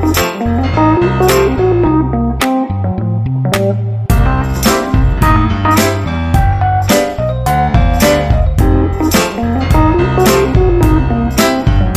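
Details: Loud guitar-driven music with bass and sharp percussive strikes runs throughout, with no animal voice.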